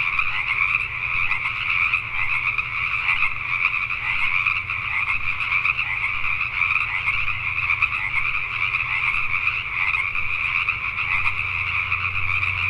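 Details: Night chorus of Pacific tree frogs in Richmond, British Columbia, Canada, with countless croaking voices merging into a continuous, shimmering wall of sound that never pauses, and a faint low drone beneath.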